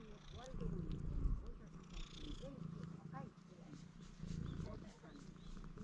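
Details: Low rhythmic purring from stray cats showing affection at a construction site, recorded with a GoPro HERO8. The purr pulses steadily in throbbing cycles, with quiet talking woven over it.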